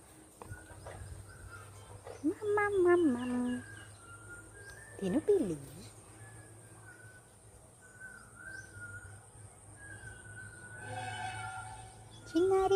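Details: Little pet kitten in the evening, a woman speaking Telugu to it; two loud drawn-out meows, the first wavering then dropping, the second short and bending, then faint twittering birds and more voices near the end.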